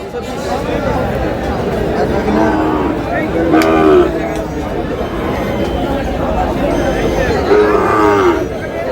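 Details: Sahiwal bull calf at a cattle market in Chattogram, Bangladesh, ahead of Qurbani: two drawn-out, slightly bending moos near 3.5 and 8 seconds over constant crowd chatter and men talking.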